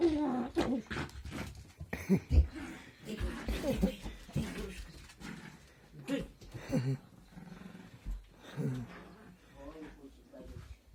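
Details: Chihuahua growling in low, rough, rapidly pulsing bursts that rise into short higher-pitched snarls, with human voices talking over it.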